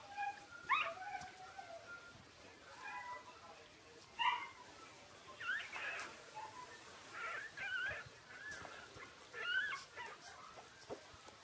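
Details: Six-day-old Shiba Inu puppies making soft, high squeaky whimpers and short squeals, scattered irregularly over faint steady background hiss.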